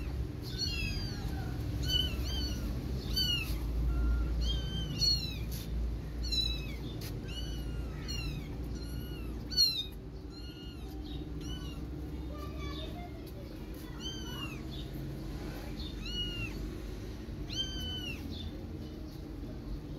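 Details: Mother cat calling and carrying her one-month-old kittens inside to protect them; rapid, overlapping high-pitched mews, rising then falling, repeated several times a second from more than one cat, with a thud midway and background hum.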